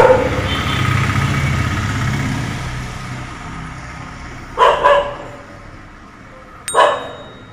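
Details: A Labrador retriever (Canis familiaris), one of two dogs barking at a peacock visiting a neighbour's house, gives a quick double bark, then one more sharp bark two seconds later, after low rumbling background noise.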